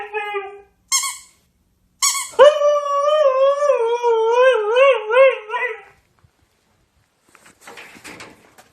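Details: Siberian Husky, a working sled dog breed, vocalising: two short high yelps, then a long, wavering, howl-like whine with quick pitch wobbles lasting about three and a half seconds, ending in faint rustling.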